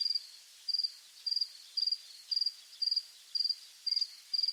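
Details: Crickets calling at dusk in rural fields: evenly spaced, high-pitched chirps made of three to four quick pulses, about one every half second, over soft background noise.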